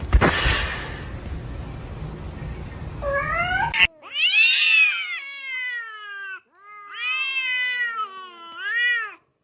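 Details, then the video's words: Kitten meowing in a compilation of funny cats: a burst of broadband noise and speech opens, then several clear harmonic meows, each rising then falling, about a second long, with short pauses between them. "kitten meowing"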